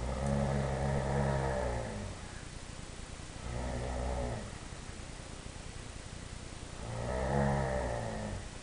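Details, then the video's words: Tyson, a three-year-old Dobermann at home, yodeling in happy bursts: three low, throaty, harmonic moaning phrases, each about two seconds long and separated by short pauses, rising slightly in pitch and loudness near the end. "Tyson yodels"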